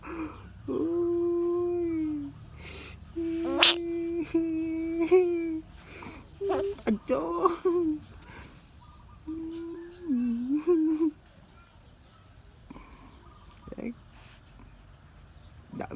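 A bullfrog gives loud, drawn-out screams: steady, nasal wails, some ending in a wavering dip.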